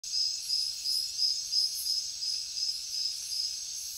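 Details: Crickets calling: a steady high, thin chirping trill pulsing in quick regular beats, with brief brighter shimmering bursts above it and no other clear sounds.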